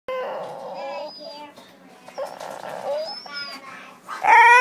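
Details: Pet dog "talking": a run of soft, wavering whines and moaning vocal sounds with shifting pitch, ending in a sudden louder, higher yelp-like cry.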